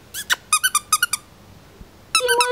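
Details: Pomeranian puppies let out a quick run of short, high, squeaky yelps. A pause follows, then a longer, wavering whine rises at the end.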